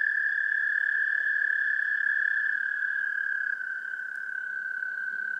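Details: Continuous trilling song of an American toad, recorded with an amplified parabolic microphone; the steady rapid trill sags slightly in pitch and softens a little toward the end, over light background hiss.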